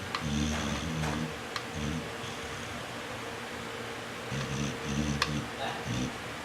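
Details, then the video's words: Pit bull named Jade snoring while asleep: low, rough, droning breaths in bursts of about a second, separated by short pauses, over a steady background hum. "Snoring Pitbull."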